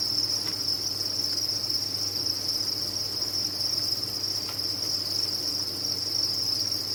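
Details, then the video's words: Captive crickets massed on a farm sing a continuous shrill trill, even and unwavering, with a couple of faint clicks and a low background hum. "Sound of a Cricket Farm"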